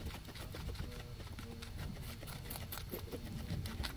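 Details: Two guinea pigs eating grass, recorded close up with a microphone array: dense crisp crunching and clicking bites with soft low rustling underneath, quick irregular chewing strokes throughout.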